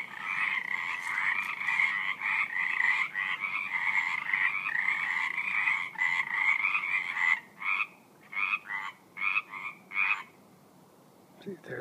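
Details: Frogs at night, skittish animals heard in a steady, rapid, trilling chorus for about seven seconds that then breaks into short separate bursts with gaps of near silence, ending with a faint rustle.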